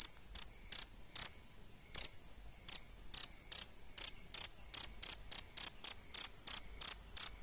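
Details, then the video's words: Adult male and female crickets used for training songbirds; sharp high chirps, sparse at first then speeding up into a steady rapid series, about three each second, with no other sounds. "Suara JANGKRIK Jantan dan Betina"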